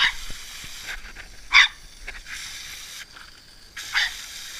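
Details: Boris, a Norfolk Terrier playing with water, gives two short, sharp barks about two and a half seconds apart, with quiet background noise between them.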